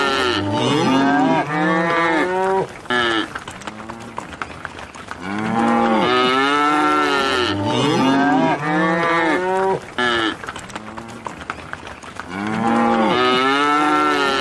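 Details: Cows in a field moo over one another in a dense chorus. Long, drawn-out moos rise and fall, and the sequence seems to repeat about every six seconds.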